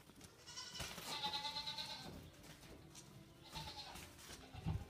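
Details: Goat bleating while the herd, including 8-week-old kid Mildred, investigates a new deaf Saint Bernard puppy; one long, wavering, tremulous bleat lasts about a second, followed later by a shorter fainter one, with low rumbling noise and a thump at the end.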